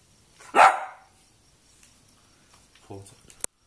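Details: Cavalier King Charles Spaniel asked to talk, answering with a single short, sharp bark, followed by near silence and a few faint clicks and rustles.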